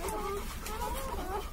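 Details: Newborn Labrador Retriever puppies, one to two days old, giving thin, high whines that rise and fall in short, overlapping squeaks over a low background hum.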